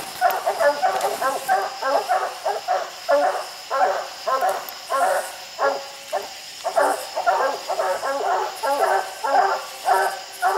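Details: Coonhounds, raccoons treed overhead on a slick steep hillside, bark in a continuous, somewhat uneven chorus of clipped harmonic barks, several dogs overlapping throughout.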